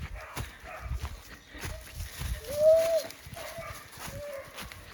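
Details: Puppy stuck on the wrong side of a fence in woodland on a farm in County Kilkenny, Ireland, crying for help. Several faint, thin whines come at intervals over rustling and footsteps.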